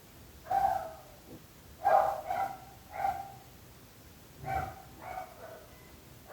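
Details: Repeated barking of dogs bothering the neighbours: loud, gruff barks about once a second, some doubled, with brief quieter gaps and low background noise.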